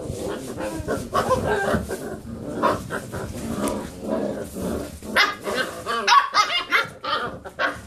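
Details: Basset Hound puppies romping around a computer chair give a jumble of muffled growls and whimpering yips over constant scuffling, then sharper high yelps in the closing seconds.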